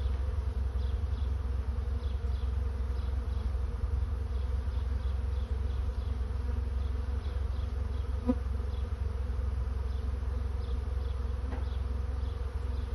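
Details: A honey bee swarm searching for a new home gives an unbroken, layered humming drone. Light ticking sounds appear throughout, with a brief brighter buzz passing midway, all over a steady deep rumble.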